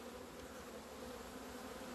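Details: Honey bees out in the sun on 17 February 2020, their first day flying from the hive after two months of winter; a dense, steady droning hum with two layered tones, even in loudness throughout.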